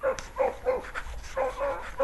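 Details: Hunting dog baying while the pack chases a rabbit out front during an April 28 hunt; a quick series of short, yelping, slightly wavering bays, about six in two seconds, loud and close, with no other clear sounds.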